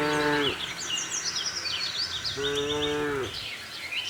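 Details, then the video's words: Cows on a cattle farm searching for grass; one moo ending at the start and a second, longer steady moo soon after, with chattering birds prominent throughout. "cute tame herd of cows - looking for grass, cow mooing sound, cattle farm, cows roaming around"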